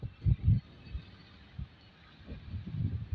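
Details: Muffled low thumps and rumbling handling noise fill a short outdoor stretch, with no animal call heard.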